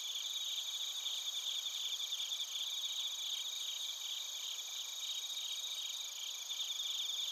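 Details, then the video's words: Night chorus of bell crickets and field crickets in Narita, Chiba Prefecture, Japan, on a TASCAM Portacapture X8: dense, high, pulsing chirps from many insects layered over steady ringing tones throughout. "スズムシとコオロギの鳴き声 - Chirping of crickets"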